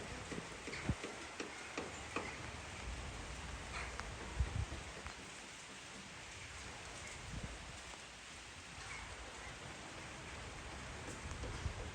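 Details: Steady rain hisses throughout, with scattered drops and ticks but no clear animal calls.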